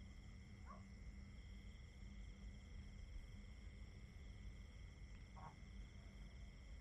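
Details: Crickets in a nature recording, a steady unbroken chorus of high trilling tones stacked at several pitches, with two brief, softer lower calls and a constant low rumble beneath.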